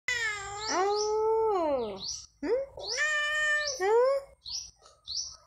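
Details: Domestic cat billed as a talking cat, giving two long, drawn-out meows. Each rises, holds, then slides down with a rich harmonic, voice-like tone. Shorter chirpy meow fragments follow.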